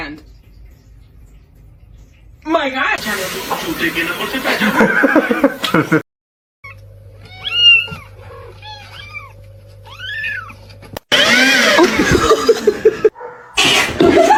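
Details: A domestic cat lets out a short series of arching, harmonic meows in the middle stretch, framed by loud human chatter and noisy bursts before and after.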